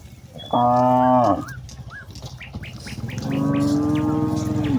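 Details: Evening call of a cow among hundreds grazing in open rice fields, summoning the herd to return home: a short loud moo followed by a longer sustained lowing, with bird chirps in between.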